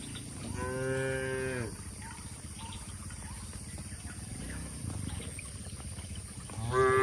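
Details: Cattle feeding on grass in an oil palm plantation in Indonesia; one clear drawn-out moo near the start, a fainter low lowing mid-way, and another moo beginning at the end over steady background hiss.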